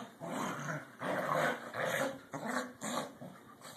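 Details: Two playing corgis vying for dominance: loud, rough growls in four or five surging bursts under a second long each, separated by brief pauses, with harsh snarling edges and no other background sounds.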